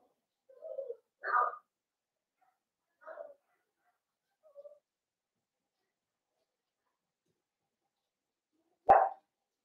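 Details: Blenheim Cavalier King Charles Spaniel puppies, a litter of five born at New Year and kept in a home puppy pen, make scattered soft yips and whimpers, spaced seconds apart, with a sharper, louder yip at the close.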